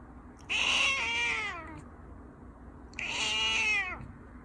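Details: Two loud, bright meows from a Persian cat that is eating. Each is rich in harmonics, holds for about a second, then falls in pitch, with a short pause between them and faint indoor hum behind.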